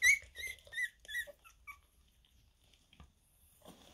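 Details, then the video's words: Havanese puppies, two and a half weeks old, give a few high squeaky cries with harmonics in the first second and a half, then fade to near quiet with soft rustling. "havanese puppies 2,5 weeks"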